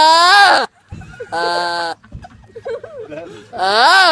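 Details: A sheep (Ovis aries) bleats three times, each a wavering, nasal cry, with a person speaking softly between.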